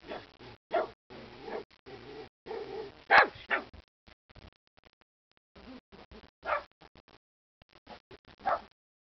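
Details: Angry pet dog having its say: irregular loud harsh barks separated by short pauses, mixed with softer grumbling vocal sounds and brief quiet gaps.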